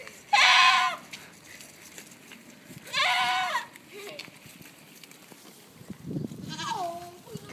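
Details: Goats in Tallinn Zoo, Estonia, screaming: two loud, strained, quavering cries under a second long, a pause, then a softer falling bleat, with low background murmur.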